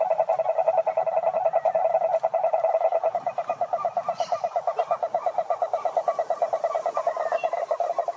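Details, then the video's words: Croaking of a toad, males calling to attract females: a continuous pulsed trill at mid pitch with harmonic overtones. A low rumble sits underneath for the first three seconds, and a faint higher sound appears briefly near the midpoint. "Som do Sapo Coaxando"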